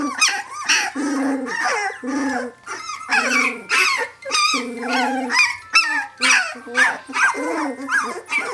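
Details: Brenda's puppies, 17 days old, calling for their mother with a steady stream of wavering, warbling whines and squeals, several pups overlapping in rapid pulses roughly twice a second.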